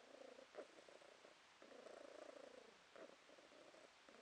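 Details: Pet cat purring in October 2022, a steady low buzzing rumble broken by short breathing gaps, with a slightly louder stretch in the middle and a faint click near the start.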